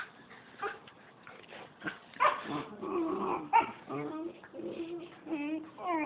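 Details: Two puppies play-fighting indoors, giving low growls, whimpers and short yips in overlapping bursts, with a person's voice and some music.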